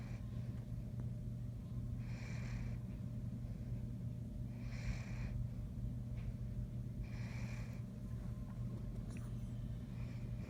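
A Great Dane snores in slow, breathy rasps that come roughly every two and a half seconds.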